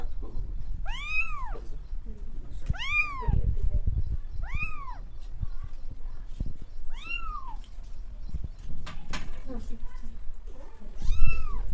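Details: Cat giving a series of five short, arched meows, each rising and falling in pitch, repeated roughly every two seconds, with a few soft clicks and low room noise between calls.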